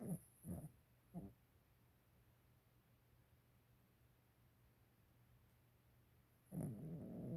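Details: Sleeping dog giving short, low, raspy snorts in quick succession, then a long quiet pause before a longer, louder rumbling snore.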